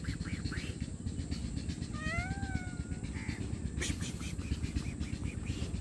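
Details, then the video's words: A hungry stray cat calls out for food and shelter with a single clear, drawn-out meow that rises slightly then levels off, followed by a brief faint mew and a sharp noise burst, over a continuous low rumble. "Hungry Poor Stray Homeless Cat Meowing Loudly For Food & Shelter"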